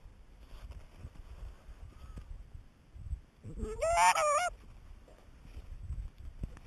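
A harp seal pup gives a single nasal, wavering wail that rises and then quivers for about a second.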